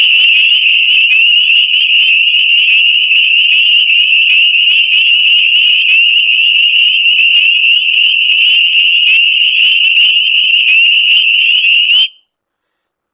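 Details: Pond chorus of dozens or hundreds of spring peepers: a dense, loud, unbroken shrill wall of overlapping high peeps lasting about twelve seconds, then abruptly stopping.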